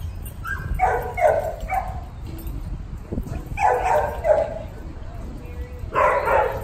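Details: Three short clusters of puppy barks, each a quick pair or triple of high yaps separated by pauses, over a low rumbling background.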